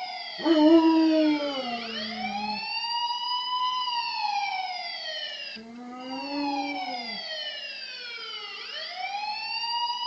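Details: Max, a pet dog, howls along with a police siren: a wavering, loud low howl in the first seconds, then fading while the siren's repeated rising and falling wails dominate.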